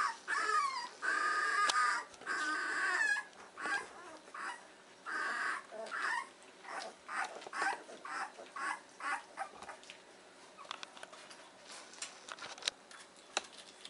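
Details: Two-week-old Weimaraner pups in their whelping box in the morning, starting with a long wavering squeal, then many short whimpers and yips coming quickly and irregularly, some overlapping, fading toward the end amid faint rustling.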